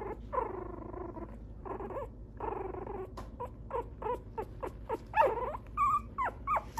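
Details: Mixed-breed dog at a dog breeder's home in Okayama, Japan: drawn-out wavering whines in the first seconds, then a quick run of short high squeaks and yelps, with a constant low hum underneath.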